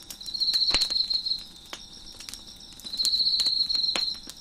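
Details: Crickets chirping behind a crackling fire on a deck, two loud, rapidly pulsed high trills, each lasting about a second, separated by a quieter stretch of faint buzzing, with sharp wood-fire snaps and crackles scattered throughout.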